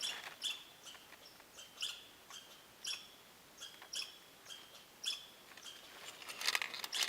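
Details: Squirrels give short, high, chip-like alarm notes near a camper's hammock at 7 o'clock in the morning, spaced about a second apart and chatting back and forth, growing busier and louder toward the end over a quiet background.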